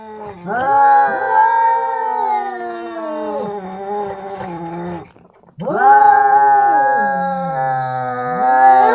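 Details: Two male cats squaring off in a fight in India trade long, harmonically rich caterwauls. The howls sag into low growling moans, go quiet for half a second, then swell again into rising, wavering wails.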